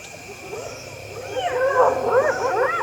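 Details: In Zambian bush where lions had been hunting, spotted hyenas (Crocuta crocuta) trying to steal lions' prey give overlapping wavering howls, rising and falling, calling clan members for reinforcements against a lion.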